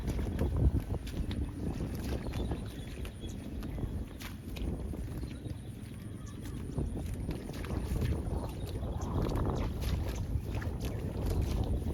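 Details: Low rumbling background noise with scattered clicks and knocks, and no clear animal call. No clear animal call stands out.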